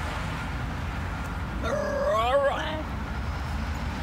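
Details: A Basenji at a park talking to another dog: a single drawn-out, yodel-like whine that wavers up and down for about a second, over steady outdoor rumble.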